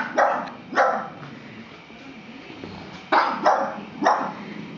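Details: A pug barks at a scary plastic horse: two sharp barks, a quiet gap of about two seconds, then three more barks in quick succession.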